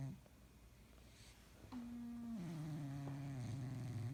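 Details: A cat asleep and snoring indoors: faint breathing at first, then a sustained low droning snore begins, steps down slightly in pitch midway and continues as a buzzy, even hum.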